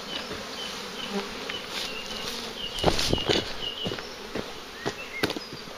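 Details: Very active, large bee swarm near a farm during collection, its constant droning hum broken by repeated knocks and clattering taps, thickest around the middle.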